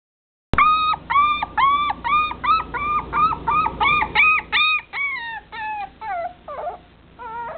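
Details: Chocolate-dappled long-haired Dachshund, a male puppy, recorded June 16: a steady run of about twenty high, clear whining cries, each short and slightly falling, given almost twice a second, growing more broken toward the end.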